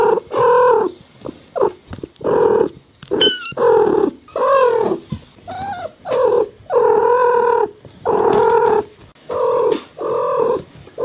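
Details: Kittens and domestic cats in California meowing nonstop: about a dozen meows roughly every second, mostly steady and drawn out, some sliding downward, with a brief high squeak early on.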